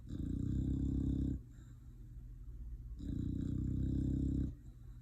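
An English Bulldog asleep, letting out long, low, rumbling snore-like groans every few seconds.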